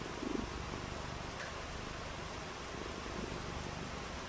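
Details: Domestic cat purring on a rainy day: a steady, low, rumbling purr under a constant hiss of broadband noise, with a brief soft sound near the start.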